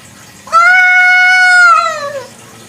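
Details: At night a kucing kampung, the local village cat, gives a single sustained meow about one and a half seconds long, level and strong before dropping in pitch at the close.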